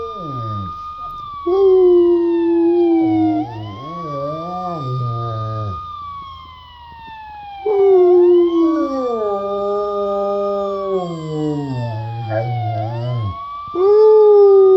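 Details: Cisco, a Rottweiler, howls along with a siren sound effect after a little prompting: long, wavering, rich-toned howls that slide down and swell again in three bouts, over an electronic siren sweeping up and holding steady.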